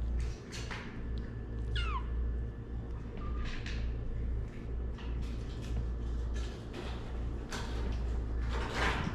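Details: Domestic cat from a family of male Shirazi Luki, rescued stray female Aswad and their three newborn kittens; one high, sharply falling meow near two seconds, set against indoor rustling, clicking handling sounds and a steady low hum.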